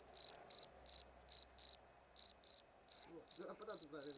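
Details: Shrill pulsed chirps from a cricket, around twelve bursts at an uneven pace with one longer gap, and a man's low voice cutting in near the end.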